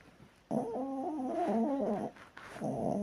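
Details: Sleeping Chihuahua snoring indoors: a drawn-out, wavering tonal wheeze with stacked harmonics lasting about one and a half seconds, then a short pause and another breath beginning.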